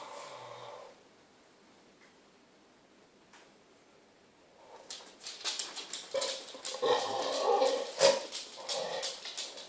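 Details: A female Pit Bull with a ball in her mouth makes an odd noise. After a few quiet seconds, muffled, groaning whimpers start and grow louder. Scuffling clicks run through them.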